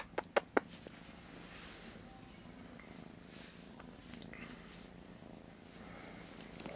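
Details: Domestic cat Master Shifu purring indoors in the morning, groggy and wanting attention; a soft, steady low rumble under a few sharp clicks at the start.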